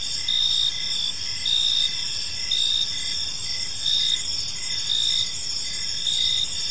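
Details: Crickets in a park at evening give bright, high chirps in short bursts about once a second, set against a constant ringing trill from other crickets and a quiet low background.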